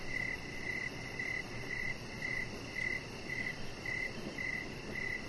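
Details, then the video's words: Evening crickets calling beside a deck lit with decoration lights: clear, evenly spaced chirps, close to two each second, standing out above a low, constant outdoor murmur. "Cricket Sounds"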